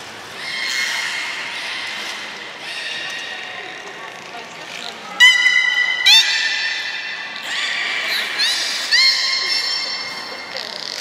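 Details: Belugas Gray, Nana and Niko during a training session at Port of Nagoya Public Aquarium, 14 October 2019: bright, harmonic-rich whistled tones held steadily, broken by sharp rising squeals and chirped sweeps near the middle, over a low indoor hum.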